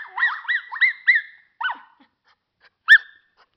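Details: Pet schnauzer singing: four quick arched whining howls rising and falling in pitch, then a softer lone whine, a pause and a sharp yelp near the end.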